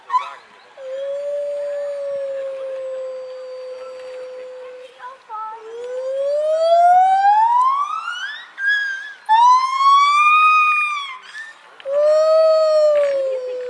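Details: Gibbons swinging from branch to branch sing long, pure hooting notes that swoop upward into loud rising and falling whoops.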